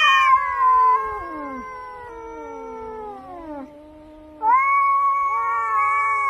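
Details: Domestic cat meowing in a sequence of drawn-out tonal calls, the first falling gradually in pitch over several seconds, then a brief quieter pause before a louder, higher meow that holds steady to the end.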